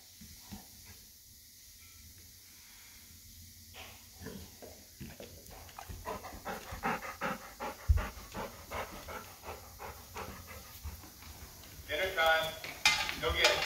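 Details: Excited Golden Retriever waiting for its first test meal from an automatic pet feeder, panting in quick irregular huffs that grow louder toward the end, with clattering and rustling at the close.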